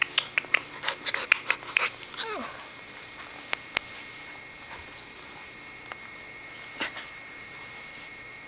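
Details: Puppies in a playful showdown: a quick burst of short, high-pitched yips and squeaks through the first two seconds, then a rising whine, followed by sparse clicks, a brief squeal near seven seconds and a steady faint hum.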